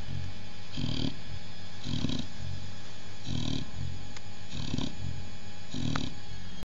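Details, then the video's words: Oliwka, a Chow Chow mother, with her hungry babies; five gruff low bursts, each with a brief hissy upper edge, come at about one-second intervals against constant background rumble. "Chow chow Oliwka & babies"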